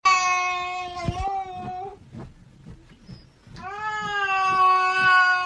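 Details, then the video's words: Domestic cat voicing displeasure: a long, wavering, harmonic yowl held for about two seconds, a short pause with faint rustling, then another sustained, slightly rising moan. "Cats Know How To Voice Their Displeasure"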